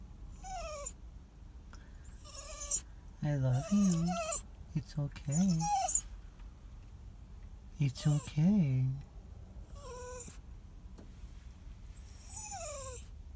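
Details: Crying dog whining: thin, high whines that slide downward, recurring every couple of seconds, mixed with louder, lower wavering cries around the middle and again near the end, over a steady low background hum.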